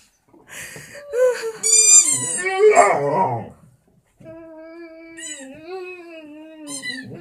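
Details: Vizsla howling indoors in response to a squeaky toy: rising and falling harmonic howls with squeaky high notes early on, then a long steady wavering howl with faint toy squeaks.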